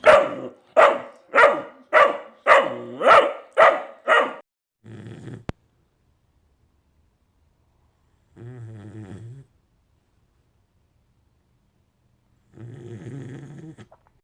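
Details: Jett, a Vizsla puppy, male and a few weeks old, fires off seven quick, regular barks in about four seconds, then falls mostly quiet apart from a few soft, low grumbling murmurs.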